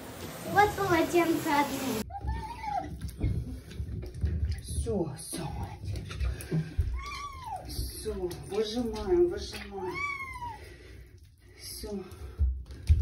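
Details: Female cat meowing while being bathed indoors in a small room, giving a series of arched, rising-then-falling wails, some drawn out, with splashing and human voices around; a burst of music at the start.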